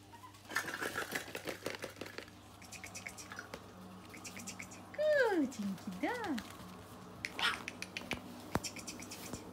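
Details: Red smooth Brussels Griffon puppies indoors, giving two drawn-out whining yelps that slide steeply downward in pitch midway through, amid human voices and light clattering in a small room.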